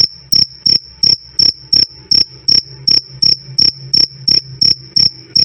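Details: Cricket calling loud and clear with a "krik krik" chirp, recorded for training cage birds such as lovebirds and magpie-robins. Bright high-pitched chirps pulse steadily about every third of a second, with a faint low hum beneath.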